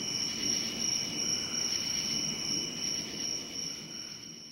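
A cricket trills steadily in a high, shrill tone, pulsing in quick, even bursts.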